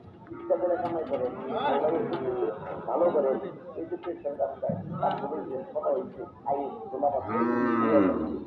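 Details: At a cattle market, angry cattle being taken off a truck moo; a drawn-out harmonic bellow closes the passage, with busy human voices throughout.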